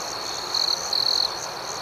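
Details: Outdoor crickets at night: two close, bright trilled chirps rise briefly above a constant high-pitched insect drone.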